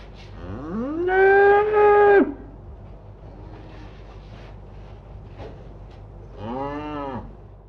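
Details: A cow on pasture gives a loud rising moo lasting about a second and a half, followed after a pause by a shorter, softer arched low, with faint rustling in between.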